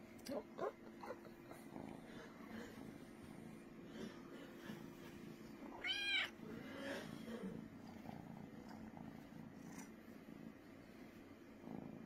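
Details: Brooklyn the cat purring, a soft continuous low rumble running under the whole stretch, broken once by a short, rising-and-falling meow midway, with scattered light clicks and rustles.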